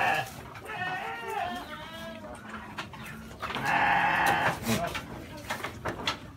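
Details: Goat kids bleating while cut grass is brought to them, sounding like kids that have just found food; a few wavering, harmonic bleats among laughter and talking, with one louder, rougher cry near the middle.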